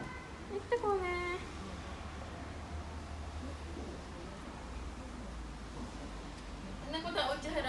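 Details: A four-week-old rescued kitten, on the day of its veterinary check-up with flea and tick treatment and a stool test, gives a short falling, high-pitched meow early on and another near the end, indoors, with a woman speaking softly.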